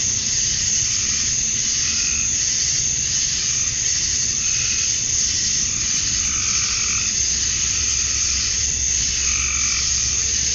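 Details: At dusk on a summer night in Georgia, USA, male cicadas chirp to attract females, producing a relentless high shrill wash; lower rhythmic throbbing calls come and go every few seconds.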